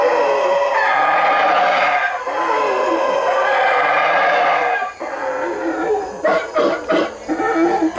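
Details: A howler monkey in the Belize treetops gives its loud, gravelly roar, a long rough bellow held for several seconds, then continues after a brief pause in choppy, barking pulses that rise and fall.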